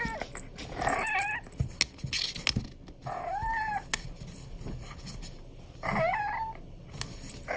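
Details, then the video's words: An Abyssinian kitten, playing, utters three wavering, slightly nasal meows about two to three seconds apart, with thumps and faint jingles around them. "アビシニアンの鈴声コレクション 子猫の鳴き声集"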